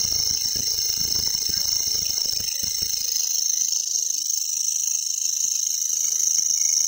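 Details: A grasshopper in a local forest gives a steady, high, buzzing stridulation that continues without pause.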